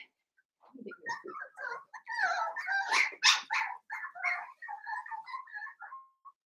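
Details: A litter of five seven-week-old blenheim Cavalier King Charles Spaniel puppies in an indoor pen: a rapid, jumbled stream of high squeals, yelps and whines, overlapping and rising to a louder peak midway before trailing off into thin whimpers.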